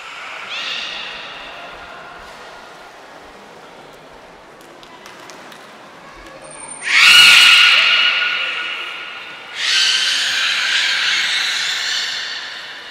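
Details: Beluga in the Port of Nagoya Public Aquarium, 18 February 2024, around feeding and play time: a brief overtone-rich squeal, then a loud breathy burst carrying a tonal whine, and a third bright buzzy squeal near the end, over indoor murmur.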